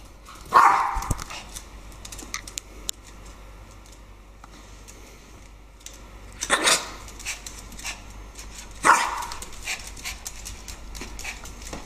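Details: Maltese dogs Teddy and Leo playing together at home, with a Shih-Tzu named Harvey nearby; three short, sharp barks at irregular intervals, one near the start, one after about six seconds and one near nine seconds, with quiet rustling and household noise between.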